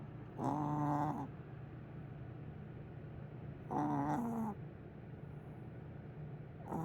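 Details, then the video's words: Sleeping pet cat snoring loudly, said to snore like a big dog: two long rasping snores about three seconds apart, with the start of a third at the end, over a steady low hum. "Willow snoring."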